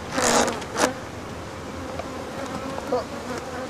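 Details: Continuous buzz of African honey bees while workers remove the rest of their hive, interrupted by two loud knocks near the start.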